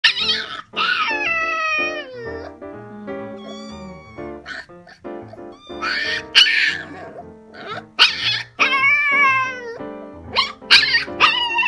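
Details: A domestic kitten meows on first meeting a puppy, giving high, sliding meows over steady background music.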